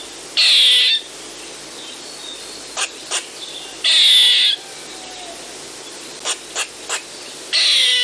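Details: Eastern gray squirrel giving rasping, buzzy half-second bursts with a sliding tail, separated by brief clicking chucks in pairs and triples; a soft constant hiss sits underneath.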